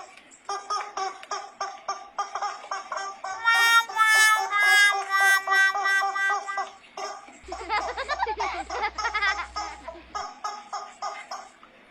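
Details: Upbeat instrumental music with harmonica-like tones and bright melodic runs, joined midway by a burst of laughter and a low steady hum, with no animal voice.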